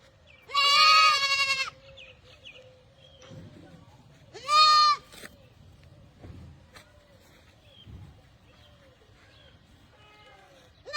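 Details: Barbari goats: two clear, loud bleats near the start, then a long stretch of faint, more distant bleating, low rumbling and occasional clicks before a last call begins.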